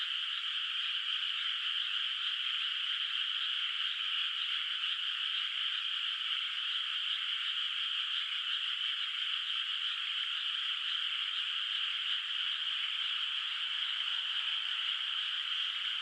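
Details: Moonlit rural rice paddy at night, water still bare of rice, with distant frogs calling; a thick, uniform high-pitched chorus carries on without break, growing slightly fuller toward the end, nothing else audible.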